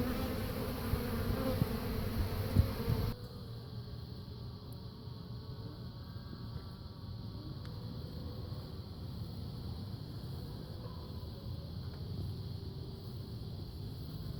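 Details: Swarming honey bees, recorded May 3, 2016, during the keeper's third swarm capture: a dense, loud droning buzz for about three seconds, then a softer continuous hum that carries on under light background hiss.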